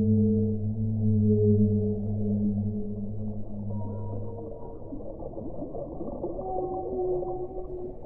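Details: Whale song: deep droning moans with rich overtones, pulsing slowly and overlapping, joined midway by thin higher sliding tones, loud and resonant above a soft underwater rumble.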